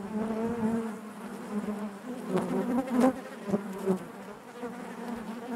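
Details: Inside a honey bee hive, a thick low hum of countless wingbeats, with a few close bees briefly louder and wavering in pitch over the constant drone.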